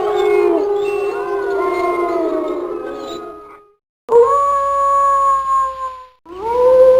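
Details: Wolf howls from a compilation of different wolves: overlapping wavering howls from several animals fade, followed by two separate clear solo howls, each rising quickly then holding a long steady tone.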